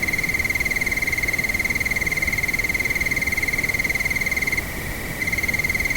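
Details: Cricket chirping at nightfall in windy conditions: rapid, regular high pulses about four per second, pausing briefly for about half a second near the end before resuming, over constant wind.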